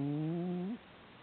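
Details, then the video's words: A single low, droning snore from the pet cat Hamburger as it sleeps, holding steady before curling upward and cutting off abruptly. "Our Snoring Cat 我們家睡覺會打呼的貓"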